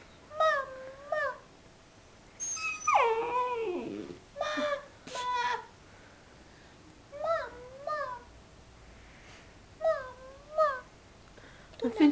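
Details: Sleepy pet puppy being coaxed to talk while a woman repeats "mama" in Dutch; the puppy answers with drawn-out whiny, wavering yowls, one long falling howl-like cry, indoors.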